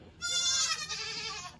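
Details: Baby goats bleating during kidding season 2022 on a farm: a loud, wavering, nasal bleat held for over a second, rich in upper harmonics, with other kids calling around it.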